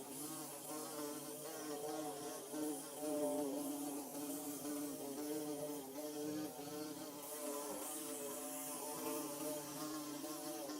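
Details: Bees building a hive fill the air with a continuous droning buzz, several low warbling tones weaving over one another at an even loudness throughout, with a faint high hiss above.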